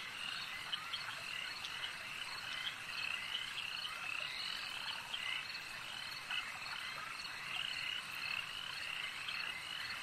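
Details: Frog chorus at a lake: a dense, unbroken wall of overlapping high trills and croaks, with short bright chirps scattered throughout.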